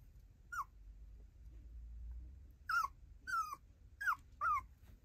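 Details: Tiny poodle, a sweet-natured female with round eyes, makes five separate downward-sliding whimpers. One comes early, then after a quiet pause of about two seconds four more follow close together.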